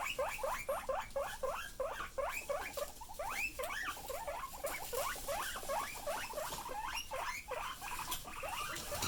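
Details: Pet guinea pigs making loud noises, a dense chorus of quick upward-sweeping squeaks packed closely together, several animals seemingly calling at once over a faint background hiss.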